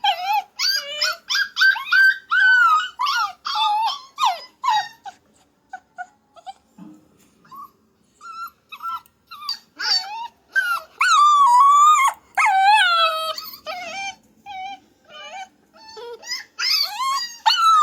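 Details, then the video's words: A puppy makes a steady string of short, high, wavering whines and yelps, with a quieter pause in the middle before longer, louder howl-like cries return, some bending up and down in pitch. "my puppy talking puppy funny sound"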